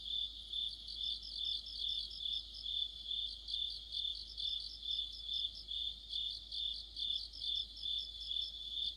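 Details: Several crickets and other insects form an autumn chorus. A high continuous buzz-trill carries on steadily while a beaded, pulsing chirp rises and falls in regular beats about twice per second throughout.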